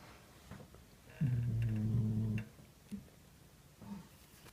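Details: A domestic cat snoring while asleep indoors in a small room: one low rumbling, droning snore lasting about a second, with faint shuffling and quiet background noise around it.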